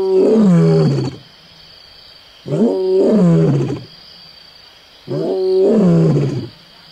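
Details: Lion at close range on Onguma Game Reserve, Namibia, giving three long, deep, moaning roars about two seconds apart, each sliding down in pitch, with a steady high hum in the background.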